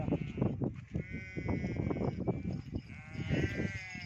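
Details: Goats bleating on a goat and sheep farm: two long, quavering bleats rise above a busy background of trampling, rustling and low herd noise.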